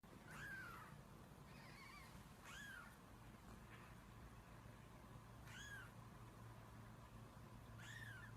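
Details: Domestic cat giving five short, high, arched mews spaced irregularly across about eight seconds, each rising then falling, over a steady low hum and faint background noise.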